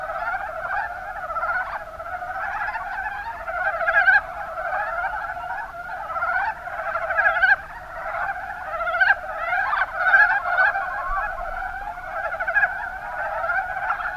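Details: Rana ornativentris group calling in Kumamoto's Kuma Basin, Japan; unbroken overlapping croaks, each a fast stutter of soft clucks, many frogs together, volume rising and falling in waves across the recording.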